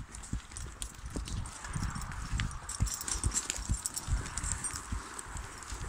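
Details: Working draft mare hauling logs in Brittany, alone and guided only by voice commands: steady, dull hoof thuds a little over two a second, with rustling and faint crackling of the ground and gear.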